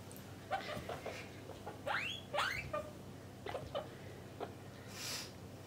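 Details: Domestic guinea pigs, mother and offspring housed in separate male and female cages, make scattered squeaks including two clear upward-sweeping whistles, over a faint hum, ending in a brief rustle.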